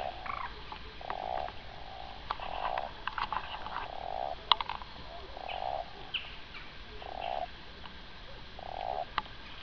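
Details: Common toad on the Gargano, Italy, in winter 2014: short low croaking notes repeated every second or so, amid faint clicks and background noise.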